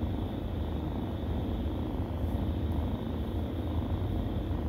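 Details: Kittens nursing, with a continuous low rumbling purr that holds a steady level for the whole stretch without pauses.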